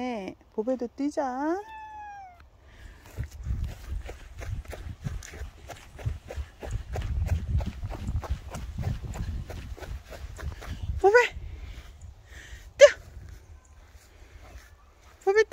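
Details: Dog-like pet cat meowing indoors: several arched, rising-then-falling meows in the opening two seconds, followed by soft rustling and footsteps and a couple of short, sharp squeaks near the end.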